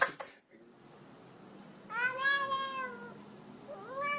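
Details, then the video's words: Domestic cat meowing indoors after a quiet pause: one long, slightly rising then falling meow, followed near the end by a shorter upward-sliding meow. "Even Cats Can Talk - Best Talking Cats Vines HD"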